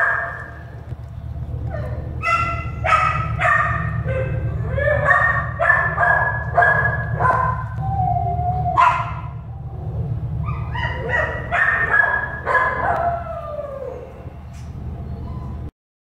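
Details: Shelter-born American Staffordshire Terrier puppies giving rapid high yips and barks, some drawn into whining squeals, irregular bursts about twice a second, with a constant low mechanical hum underneath.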